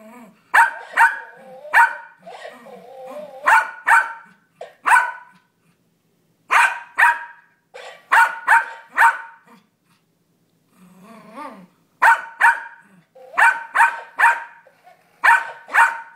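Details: Yorkshire Terrier Brownie, six years old, trades barks with a toy parrot that mimics him; clusters of two to four sharp, high yaps separated by pauses, with lower whimpering murmurs and the toy's repeated copies, recorded on a phone.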